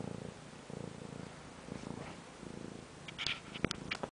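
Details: Pet cat purring indoors, a steady low rumbling pulse in even rhythmic bursts for about three seconds, then a few sharp clicks and small knocks near the end.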